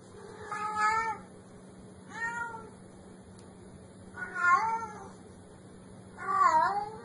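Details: Cat crying out in a series of four meows, the last two louder and more drawn out, with quiet gaps and a low steady hum between calls.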